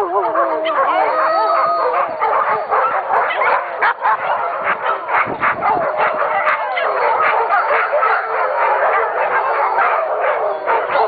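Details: A pack of dogs howling together, many voices overlapping in wavering, drawn-out howls and yips that rise and fall continuously, forming a dense chorus with no pauses throughout.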